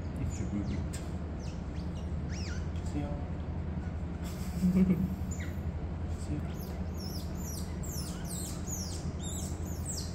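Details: Captive otter family at a registered otter facility in Gyeongsan, South Korea, as father Toffee carries pups to mother Mocha; sharp high chirps come in quick bursts during the second half over a steady low mechanical hum.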